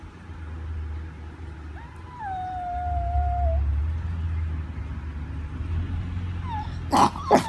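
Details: A chihuahua gives a drawn-out, smooth howl of nearly two seconds after a short opening note. A faint rising yelp follows later, and two sharp knocks are heard near the end.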